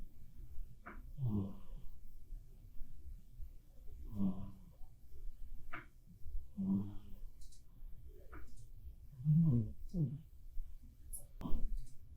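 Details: Black cat Bappuri snoring while asleep indoors, real recording: low, rasping snores with a breathy rattle, rising and falling roughly every two and a half seconds, with quiet room background between breaths.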